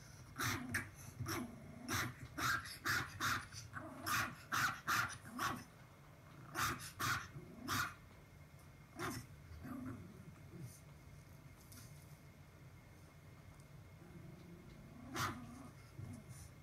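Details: Papillon puppy barking indoors, bursts of short sharp barks in quick runs, then sparse single barks and quieter low growls.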